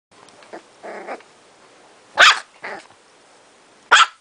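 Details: A pet Chihuahua, described as crazy and funny, gives a few short sharp barks and low growly yaps, two loud barks standing out near the middle and end, with quiet gaps between.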